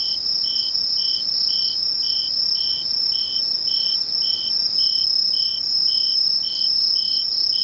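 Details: Insect chorus at Misho, Ainan town, recorded 21 August 2011: a steady high shrill trill runs throughout, overlaid by short lower pulsed chirps repeated about twice per second in an even rhythm, with no other sounds.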